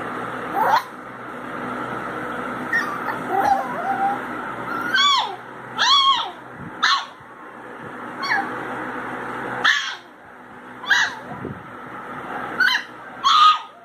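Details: Pinscher puppy crying: a dozen short, high whimpers and yips, some rising then falling, come in irregular bursts every second or two over a steady background hum.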